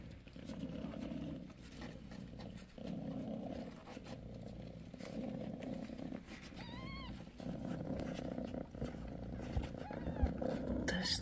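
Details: A deep, pulsing purr from Bassy, nursing her five six-day-old kittens, continues in roughly one-second cycles, broken once by a single high, bent kitten squeak and soft rustling as the litter shifts.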